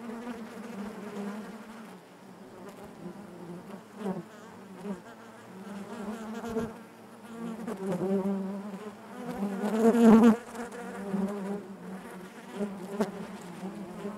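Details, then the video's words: Inside a beehive, honey bees make a constant droning buzz, with irregular surges in loudness as single bees move near; the loudest swell comes around ten seconds, then the hum settles back to a steady level. "bees therapy hive natural buzzing sound"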